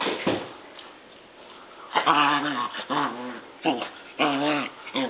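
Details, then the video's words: An 8-week-old German Shepherd puppy named Dierk wrestles indoors with a 1-year-old black Labrador, Stella: bursts of harmonic whimpering growls and yelps come in short, irregular bouts between quieter scuffling. "8 week old German Shepherd Dog puppy wrestling"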